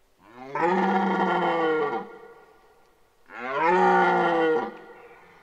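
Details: Rutting red deer at Boutissaint natural park in 2023 gives two long, gravelly bellows, each about one and a half seconds. They are roughly three seconds apart, loud, and full of rough overtones, with a quiet lull between them.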